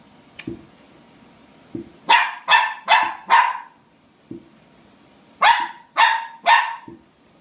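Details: Puppy barking while playing at a hot chip: sharp, high yappy barks in two quick bursts, four then three, separated by a pause, with soft low thuds of movement between them.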